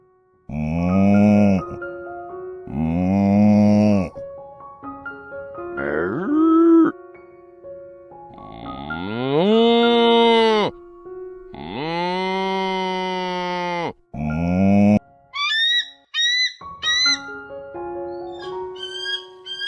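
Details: Cow mooing: several long, deep, droning moos, each lasting one to two and a half seconds, some rising at the start, over steady background music with short tinkling notes near the end.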